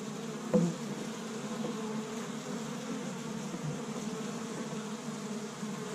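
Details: Busy honey bees at a Michigan hive on the first warm spring day, bringing in tree-bud pollen; steady deep buzzing hum from the colony, one brief click near the start, otherwise uniform droning.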